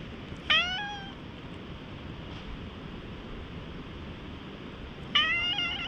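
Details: Stray cat in a high-elevation park, at first slightly wary, then rubbing its head against a person and letting itself be petted, recorded on a GoPro HERO8: two clear, drawn-out harmonic meows about four seconds apart over steady outdoor background hiss.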